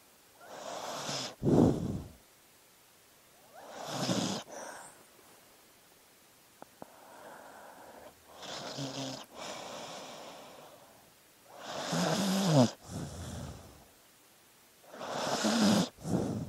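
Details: Dog snoring in its sleep, rough breathy snores recurring every three to four seconds, some with a low rattling buzz, separated by quiet pauses.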